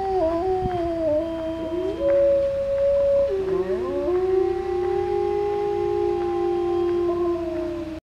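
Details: Grey wolves in West Yellowstone howl at a grizzly bear during an encounter, in long, sustained, overlapping tones that slide gently up and down.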